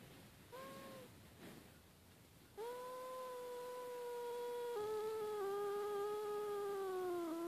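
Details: Domestic cat that had been snoring and then turns angry: a few faint short calls, then a long, steady, tonal yowl that drops slightly in pitch and grows louder toward the end, in a quiet room.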